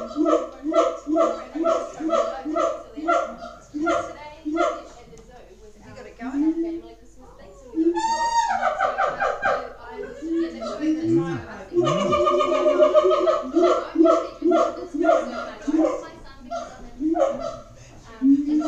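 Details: Captive siamangs at Auckland Zoo call in a long booming chorus: rapid pulsed barks, then sharply rising whooping sweeps, a sustained loud wavering stretch, and more barking notes. Voices sound faintly in the room.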